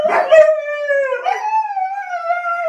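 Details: Siberian Husky indoors, one of two huskies arguing with each other and their owner about a mess in the house: a long, wavering, tonal howl that dips slightly then rises again, with a brief break near the middle.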